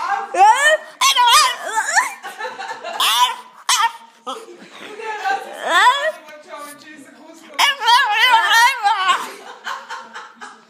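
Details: Small French bulldog answering and mimicking a girl, producing wavering, howling, voice-like yowls rising and falling in pitch, mixed with the girl's speech and laughter.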